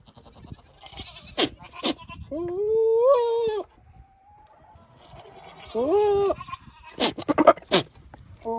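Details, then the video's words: Male Nigerian Dwarf goat, out of his pasture and visiting the female goats, making silly flirting noises: two wavering, nasal bleats with a slight rise, separated by sharp clicking snorts and short bursts. "What do goats sound like when they flirt?"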